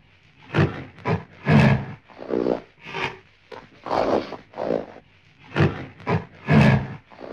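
A moose gives a series of deep, hoarse grunting roars, each under a second long.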